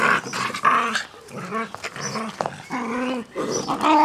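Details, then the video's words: Two Jack Russell Terriers playing with a soft toy rabbit: rough, rumbling growls in short bursts with rising and falling whine-like tones, broken by brief pauses, in a small indoor room. "Jack Russells playing with toy rabbit"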